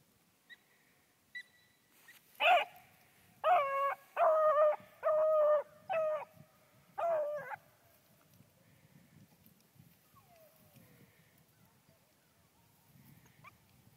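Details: Annie, a four-month-old female Bluetick Beagle pup, out rabbit hunting: six bright, tonal, harmonic yelping barks in a quick run about a second apart, followed by near quiet with faint rustling.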